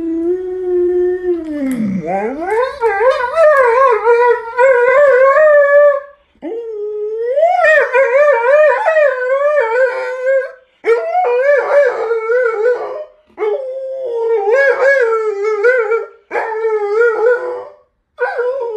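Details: A sustained string of warbling howls comes from Fugui, an Alaskan Malamute who talks at mealtime. An opening swoop down and up leads into repeated wavering, yodel-like phrases, broken by brief breaths every few seconds.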